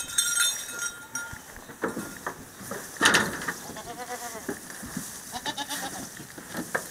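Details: Goat from a San Clemente Island goat mix herd settling into a new pasture, giving a quavering, tremulous bleat near the middle, set against rustling, clinks and bursts of high-pitched ringing.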